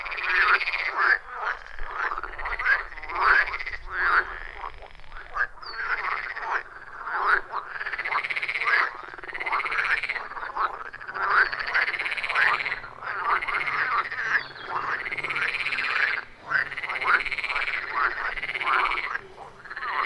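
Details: Loud rhythmic chorus of frogs calling deep in the forest at a wild pond, captured with an iPhone 14 Pro and Shure MV88+; stacked arching croaks repeat roughly every second in continuous overlapping waves, no music or talking.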